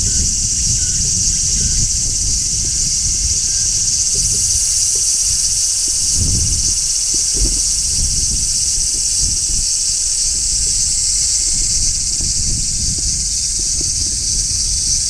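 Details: Large brown cicada shrilling from a tree in midsummer, a constant sizzling drone that keeps the same level throughout, with a brief low rumble near the middle.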